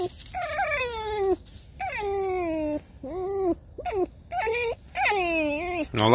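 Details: Alice, a tame fox, gives a string of creaky, wailing cries. Each is a drawn-out tonal note that bends and slides in pitch, with short gaps between. A man's voice talks over parts of it.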